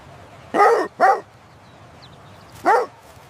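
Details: Playful puppies on fresh green grass, running and play-fighting: two quick loud barks close together, a short pause, then a single bark, clear over low background.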